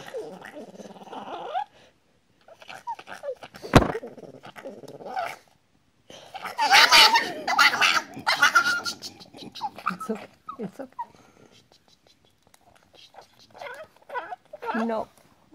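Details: Small white Chihuahua wearing a blue and black vest, held by its owner, screams in harsh rasping bursts mixed with whimpers and growl-like noises, a loud cluster midway, while a woman's soothing voice talks over it.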